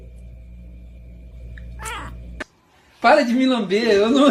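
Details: Domestic cat giving a loud, wavering, drawn-out yowl with warbling pitch in the final second and a half, preceded by a brief rustle and a short silence in a small room.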